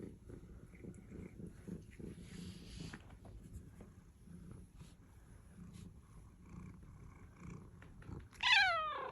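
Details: An affectionate, cuddly pet cat indoors, after a stretch of soft low purring and light rustling, gives one short, loud, high meow with bright falling harmonics near the end.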